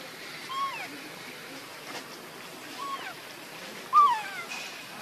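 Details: Baby monkey beside its mother Luna uttering short, thin whistled calls that slide downward, three spaced across a few seconds, the final one loudest with a small upward flick, against quiet hiss and soft rustling.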